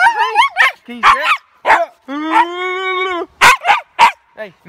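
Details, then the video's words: Aurora, a Siberian Husky outdoors, barks loudly in a rapid series of harmonic yelps and a drawn-out howl-like bark, sharp bursts rising and falling, some calls stretching over a second, with pauses between. "LOUDEST HUSKY EVER!!"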